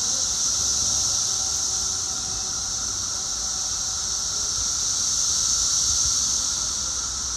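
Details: Periodical cicadas, the 17-year brood, two weeks after emerging and at their loudest, heard from indoors: a steady, unbroken high-pitched whining chorus with a fainter lower hum, no breaks throughout.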